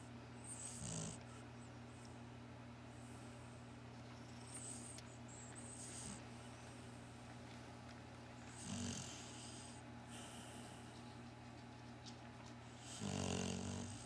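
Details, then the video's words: Sleeping Cocker Spaniel and Shar Pei cross giving three short, soft, rattling snorts spaced several seconds apart, with a steady low hum throughout. "Cocker Spaniel Sharpai mix snoring!"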